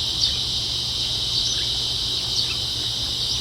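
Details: Evening cicada chorus near a house in a quiet American village at about 8 pm, a steady shrill buzzing drone that never pauses, beside the soft rush of a garden waterfall.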